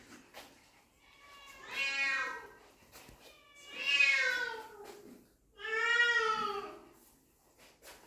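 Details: Puppies meeting their dad for the first time, indoors, giving three drawn-out, arching harmonic whines about two seconds apart, each rising then falling in pitch, with soft rustling between.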